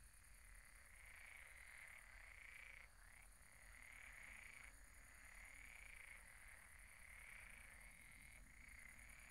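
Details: Night chorus of croaking frogs at the pond, many voices blending into an unbroken trilling drone with short rising swells, backed by a constant high-pitched hiss and soft low rumble.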